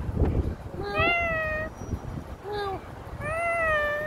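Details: Street cat, November 2023, meowing three times: a drawn-out falling meow, a brief clipped one, then another long descending meow, each clear and tonal, after a person's voice and over a low background rumble.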